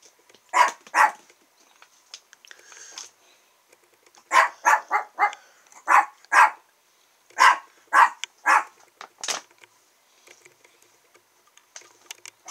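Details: A female smooth-coated Chihuahua puppy, chocolate merle and white, 179 days old, recorded indoors in Kochi, Japan, on 7 April, yaps in sharp high barks, given singly and in quick bursts of three or four, with short silent pauses between.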